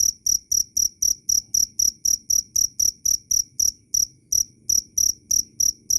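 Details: Loud, clear cricket chirps in a fast, even series of high pulses, roughly four per second, with one short gap near the middle and a quiet background.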